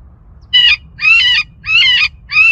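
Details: Recorded rabbit distress call played from a roof in a suburban neighborhood, which drew four to six vultures circling over the house; four harsh, high-pitched screaming bursts, each under half a second, separated by short silent gaps.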